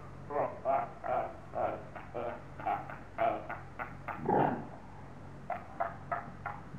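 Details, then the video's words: Seals at Zoo Augsburg, Bavaria, Germany, quarrelling and roaring at each other: a run of short, harsh barking calls repeated roughly every half second, with one longer, louder growling cry near the end. "Robben beim gegenseitigen anbrüllen."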